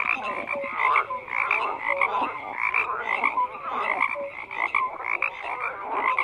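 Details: Frogs croaking in a dense chorus, with many overlapping callers giving short pulsed croaks and brief tonal notes repeated throughout, forming a continuous busy soundscape.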